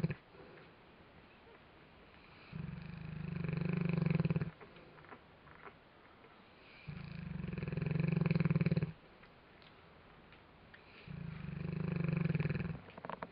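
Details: Neapolitan Mastiff PJ snores while asleep, giving three steady, deep, vibrating snores of around two seconds each, separated by calm, near-silent breaths.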